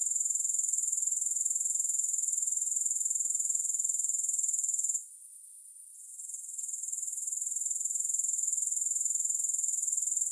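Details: Grasshoppers heard with no music: an even, piercing high trill of fast regular pulses, interrupted by a roughly one-second lull halfway, then building back to steady chirring.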